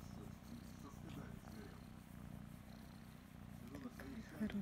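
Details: Loud, even purring from Kryska, a female kitten being caressed and scratched behind her ear, with quiet human voice murmuring over the continuous low rumble.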